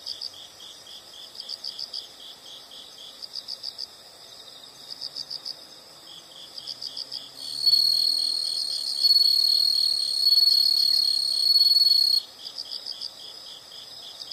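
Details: Insects sounding in a calming nature recording: bursts of rapid high chirps in regular groups, joined midway by a loud steady high trill that stops abruptly, then the pulsed chirping resumes.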